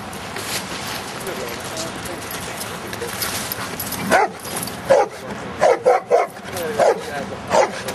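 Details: Giant schnauzer named Luther playing in rain and mud; after about four seconds of murmuring voices and broadband outdoor noise, a string of irregular, mid-pitched barks begins, some in quick pairs and triplets.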